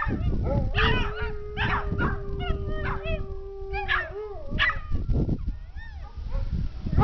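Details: An Alaskan Malamute and Dachshunds howl outdoors at a siren: one long steady howl beneath higher wavering, yelping howls from the dachshunds trying to join in.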